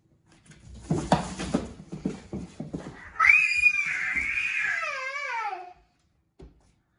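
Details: Indoor cat fight between a Norwegian Forest Cat and a Ragamuffin while a girl breaks it up: after soft voices and small thumps, a long, loud, wavering yowl rises then slides downward for about two and a half seconds, ending abruptly.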